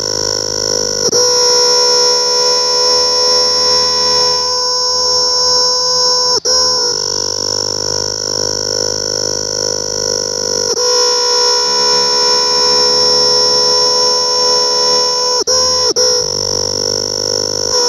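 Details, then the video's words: A close-up cicada gives a loud, continuous, rich buzzing drone. It holds steady for many seconds, broken only by brief clicks and short interruptions before resuming. "Cicada's sound closeup"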